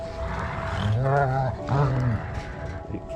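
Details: Dogs in a pack feeding together on a deer carcass during a winter snowstorm, adults settling hierarchy at the food: two low, rumbling growls, each about half a second, with a man talking over them.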